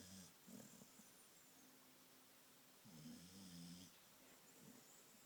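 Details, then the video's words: Red heeler, a female Australian Cattle Dog, snoring in deep sleep: two soft, low rasping snores about two and a half seconds apart, with faint hiss in the background. "Snoring red heeler"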